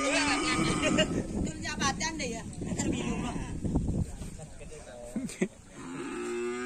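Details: Cattle during karapan sapi bull race training at a field in Asemanis; loud, busy scene with overlapping voices and noises, short broken lowing sounds, then a steady held moo at the end.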